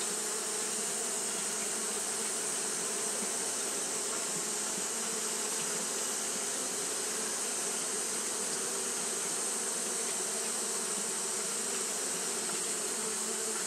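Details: Japanese honey bees fanning throughout a hot day: an unwavering, many-winged hum with a layered low buzz and a constant high shimmer above it.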